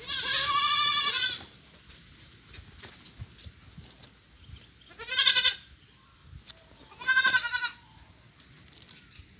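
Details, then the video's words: Noisy young goats protesting the muddy nursery they do not want to stay in: three strong, quavering bleats, the first long and loudest, the next two shorter, separated by quiet gaps. "Kids r noisy they don't want to stay in d nursery yet complaining muddy"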